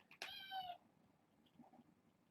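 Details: Domestic kitten at bedtime, one of a litter of six (four females, two males) born August 29th to a family pet, later brought to Purrfect Pals: a single short, bright, harmonic meow lasting about half a second, then quiet room noise.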